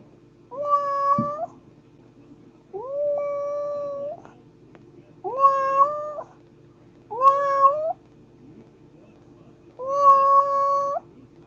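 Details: Domestic cat meowing: five drawn-out, wavering meows, each about a second long, spaced roughly two seconds apart, over a faint steady low hum indoors.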